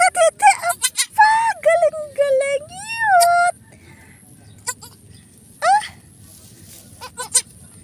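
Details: Goat during the birth of kids on a farm: wavering, nasal, harmonic bleats, several short cries and then a long drawn cry that rises and falls near the third second, followed by quieter pauses and a few brief bleats.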